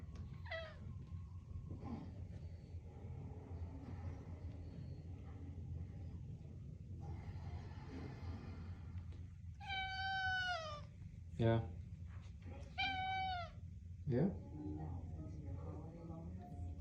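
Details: Pet cat insisting on being fed, giving a short meow early on, then a pause before a cluster of loud, bending meows near the end, with a low background hum throughout.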